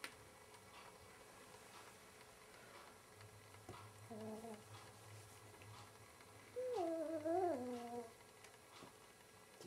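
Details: Indoors, a cat battling its mirror image makes a faint low murmur, then a louder quavering yowl that wobbles up and down for about a second and a half, set over a steady low household hum.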